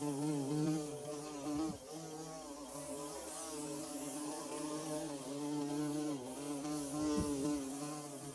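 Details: Bees at work building a hive give a dense, continuous drone, low and layered, its pitch wobbling gently; a brief knock or tap near the start and another later. Recorded with DSLR and phone.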